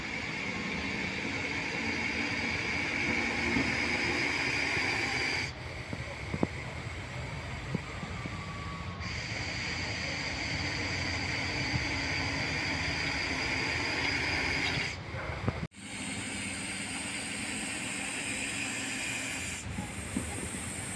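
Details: Rescued Russell's viper, a venomous snake in India, hissing in long steady breathy bursts with strong high-pitched noise, broken by brief abrupt pauses between exhalations; faint speech in the background.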